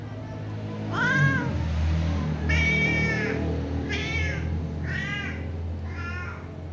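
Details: Small ginger kitten calling, probably to its mother, with five bright arched meows spaced about a second apart, each rising then falling, above a constant low droning background.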